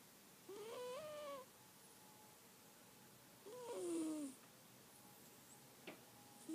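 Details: Pet cat Bella snoring indoors: two drawn-out, nasal whistling breaths with a slightly wavering, falling pitch, separated by a quiet pause, then a brief click and the start of another breath.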